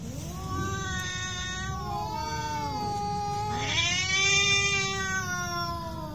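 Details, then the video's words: A real cat fight: one long, sustained yowl that wavers and bends in pitch, then surges into a louder, harsher rising cry before settling into a drawn-out moan, low rumble behind. "real cat fight with sound"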